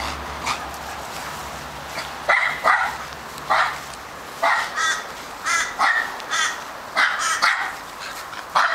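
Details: Australian Terrier named Charlie, a male dog with a barking problem, lets loose a long run of quick, sharp barks, some paired in rapid doubles, coming faster in the second half; a faint low hum runs underneath early on.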